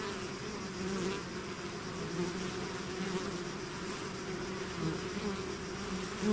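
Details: Honeybee swarm out of its hive, a steady layered drone with bands near 200 and 400, wavering slightly in pitch, continuous without pause across the whole stretch.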